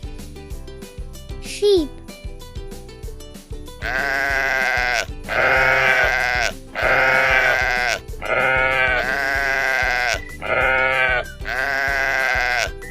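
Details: Sheep bleating in a children's English vocabulary lesson, a series of long wavering bleats about every two seconds over a steady background music track, with a brief spoken word near the start.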